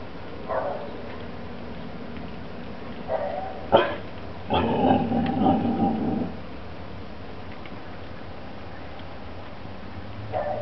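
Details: A 7-month-old male Rottweiler/Bull Mastiff cross puppy on guard gives a few short barks and a longer, rough growling bark.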